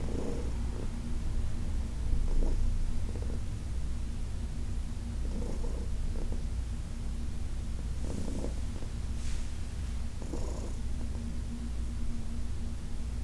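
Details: Senior cat Heidi purring under massage, August 2021: a deep steady rumble with periodic rustling and rubbing sounds from hands on fur.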